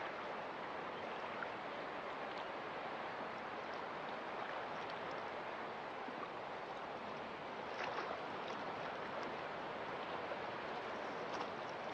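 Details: Continuous wash of surf and moving water with faint scattered splashes, no animal voice present.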